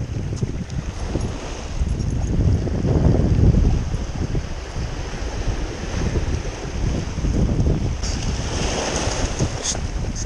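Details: Wind buffets the microphone over rolling surf at a beach, with a faint murmur of voices in the background.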